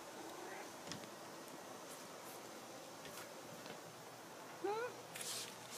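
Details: Pet cat JC indoors, a cat that dislikes change, inspecting rearranged belongings; one short rising harmonic meow late in the clip, with soft household rustles and faint clicks around it.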